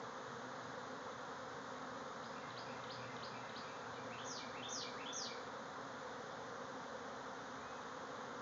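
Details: Thousands of bees swarming out of a backyard hive, flying all around. A steady, dense buzzing drone fills the recording, with a few short, quick bird chirps in the middle and a trio of sharp descending bird notes near five seconds.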